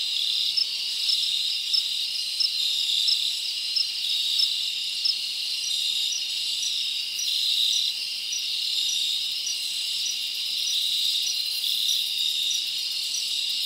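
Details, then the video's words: Summer night in the forest with many crickets chirping together, a continuous shrill band of trilling broken by regular bright pulses about twice a second, no other sounds standing out. "Live Crickets Natural Sound"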